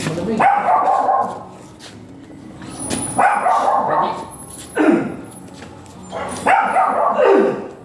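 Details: Giant Golden Retriever at a stud service in Binalonan, Pangasinan, giving four loud, harsh barks about two seconds apart, each a broad burst that drops quickly, with murmured human voices in the pauses.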